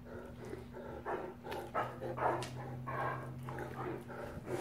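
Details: Male Great Danes wrestling in rough play produce rhythmic pulsing growls, roughly two per second, deep and raspy, with a faint bark-like yap and a steady low hum.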